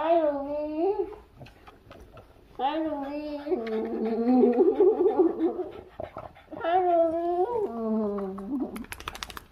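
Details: Boston Terrier wanting attention indoors, giving long wavering whines and howl-like moans that rise and fall, in bursts separated by short pauses, with a person's voice faintly in the background.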